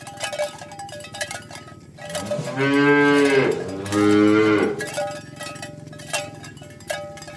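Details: Morning cattle herd driven to the pen past green grass fields; two long, low moos in quick succession, the second a little shorter, over a constant jingle of cowbells.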